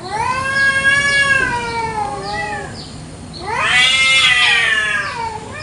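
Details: Free-roaming village cats squabbling over territory in an Indonesian garden one morning: one long, slowly falling moan, a brief lull, then a louder, harsher rising wail.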